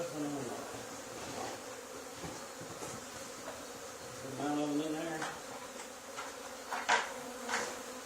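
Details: Honey bee swarm settled on the wall of an old barn where another hive had been cut out two days earlier, during swarm removal; a steady, dense, low droning hum with layered overtones, brief knocks and handling clicks on top.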